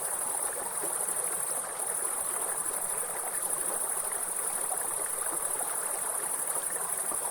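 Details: Grasshopper calling beside a river: a steady, unbroken high-pitched shrill trill runs throughout, layered over the broad rushing hiss of flowing water.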